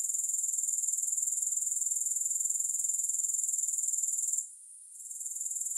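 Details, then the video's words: Sharp, rapid grasshopper chirring, high and metallic, pulsing roughly four times per second. It breaks off briefly near the end, then resumes more softly. No music. "Grass Hopper Sounds"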